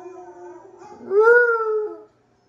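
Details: A Basset Hound howls back at other dogs heard in videos, a long, mellow howl that swells upward, then holds steady before stopping.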